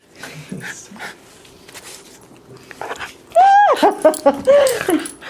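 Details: Border Terrier during a cuddle at the end of a long work week, indoors: loud arching high whines and yips with rising-falling pitch come in short bursts in the second half, after quieter human talk.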